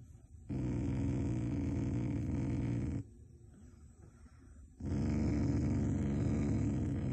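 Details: Shiba Inu growling affectionately, not in anger, toward its family: a low rumbling growl held for about two and a half seconds, a short pause, then a second sustained rumble.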